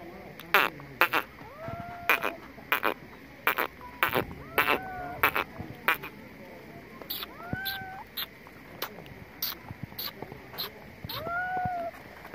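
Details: Kittens meowing amid steady tapping clicks: several short, arching meows that rise then drop, spaced a few seconds apart, with the last one louder and longer.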